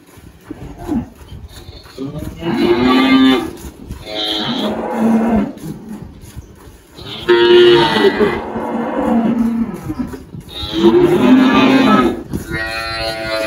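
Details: Malhada, an 18-year-old Girolando dairy cow on a farm near Anápolis, Goiás, Brazil, lowing four times, each moo a drawn-out, level call of about a second, separated by pauses of two to four seconds.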